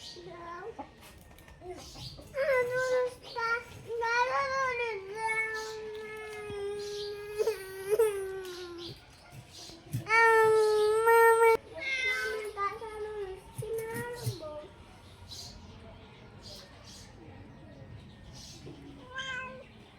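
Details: A mischievous pet cat, given food, meows repeatedly. The calls are drawn-out, wavering and nasal, some rising then falling, and they come in bursts through the clip while a person coaxes it in Bengali.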